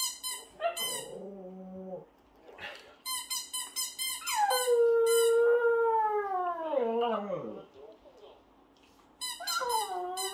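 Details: A Shih Tzu puppy howls along with a baby, as if singing together, in a long, wavering tone that slides downward alongside the baby's voice.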